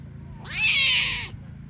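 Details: Young tigers left by their mother, at a large-animal park in Belogorsk, Crimea. One long, harsh, meow-like wail holds a bright high tone for nearly a second, then slides downward, over a faint low background hum.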